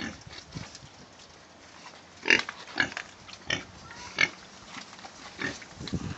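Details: Penned domestic pigs in tidy, clean housing produce irregular rough grunts and brief squeaky squeals, several louder bursts clustered in the middle, over a steady low background noise.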